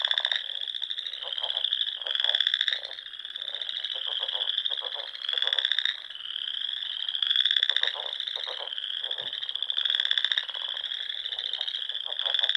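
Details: Many frogs calling in spring among the dune lakes of the Nebraska Sandhills; steady high-pitched pulsing trills overlap into a shimmering chorus, stronger bursts recurring roughly every two seconds.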